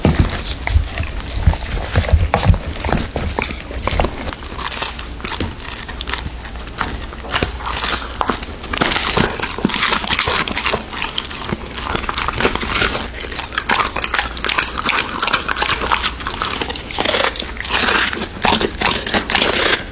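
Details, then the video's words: Raw meat being chewed by an American Bully dog indoors: dense, crackling bites and squelching crunches repeating rapidly and unevenly throughout, with no vocal calls. "Dog eating Raw Meats!Omnibus 【American Bully】"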